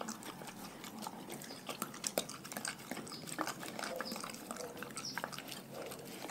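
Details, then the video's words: Dogs from a pack fed a raw diet chew steadily, giving dense, wet, smacking crunches and rapid clicks that run continuously without pause. "Dogs Eating Raw Food"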